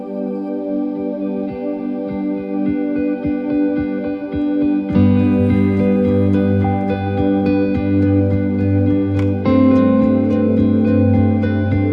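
Soft ambient instrumental music with sustained chords and plucked notes; no animal voice is heard.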